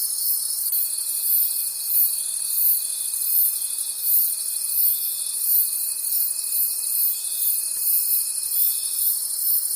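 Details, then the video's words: Forest crickets at night produce a continuous high, pulsing trill, beating about three times a second, joined for most of the clip by a long, steady, thin lower tone. "Forest Sounds and Cricket Conversations at Night"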